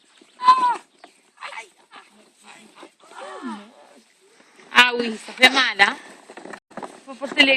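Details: Five-week-old Labrador Retriever puppies playing together in a garden: scattered short, high yelps and whining cries with sliding, arched pitch, quiet at first, then a dense burst of overlapping squeals near the end, with light rustling between.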